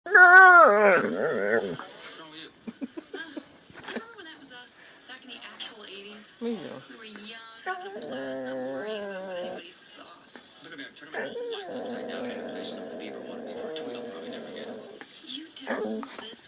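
A drowsy dog makes odd, voice-like whines, moans and drawn-out groaning noises.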